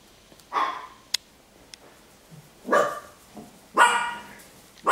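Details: Five-week-old Golddust Yorkshire terrier puppies give short, high, scratchy yaps, spaced a second or two apart.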